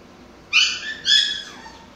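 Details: Pomsky Mikey during toy play lets out two short, high, whining yips in quick succession, the second trailing off into a fading squeal.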